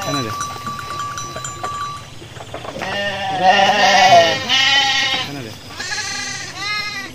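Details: Hundreds of sheep walking calmly to their pen after their midday feed bleat loudly in a series of quavering, nasal cries from several animals in the flock.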